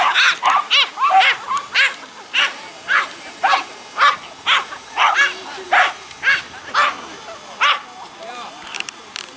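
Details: Norfolk Terrier at an outdoor dog gathering, chasing a noisy drone and barking: bright, high yaps in a steady series about every half second, loud and clear over faint background murmur.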